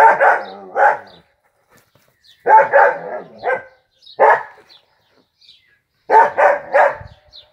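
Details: A pet Dachshund called Peanut, playing football, gives clusters of harsh barks, pairs and triplets separated by short silences, loud and mid-pitched throughout.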